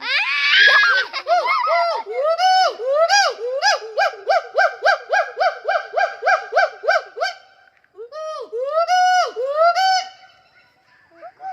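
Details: A gibbon at Sepahijala zoo gives loud, musical whooping notes, each rising then falling, in a fast ringing series.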